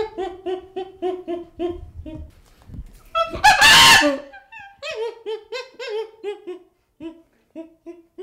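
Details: Baby chimpanzee producing rapid repeated hooting whimpers, broken by a loud harsh screeching burst, then more falling whimpers trailing off into short separated calls.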